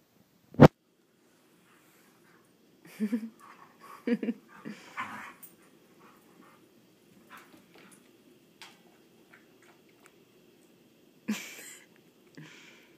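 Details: Two playful puppies wrestling, giving short low growls and grumbles in bursts, with a sharp knock at the start, scattered scuffling and a final growl near the end.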